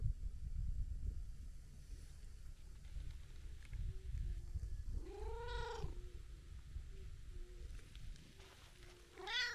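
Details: Brown tabby-and-white stray cat kneading and licking: a steady low purring rumble runs throughout, broken near the middle and at the end by two drawn-out, arching meows, with faint short tones in the background.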